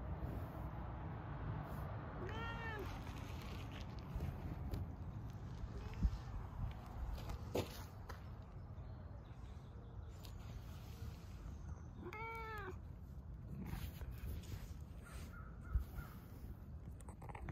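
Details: Two short meows about ten seconds apart from Siberian cats engaged in loving bumps, set against continuous low rumbling noise, faint clicks and occasional taps.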